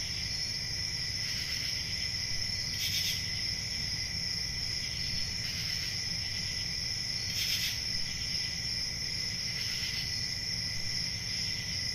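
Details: Crickets on a peaceful country summer night, a steady high-pitched continuous trill with a fainter lower band beneath, broken by louder rasping pulses that return every two to four seconds over a low rumble.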